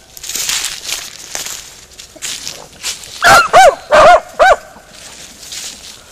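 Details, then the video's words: Beagle Harrier out in a ploughed field, with quiet rustling and outdoor background at first, then four sharp, rising yelping barks in quick succession near the end. "beagle harrier in arato"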